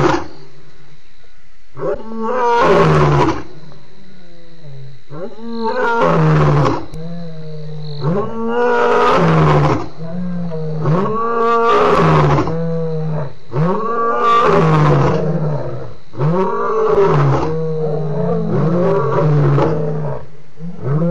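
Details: Loud lion roars recorded at Djuma waterhole on 28 October 2016: powerful, deep moaning roars with rich harmonics, delivered in a sequence of strong pulses roughly every two to three seconds.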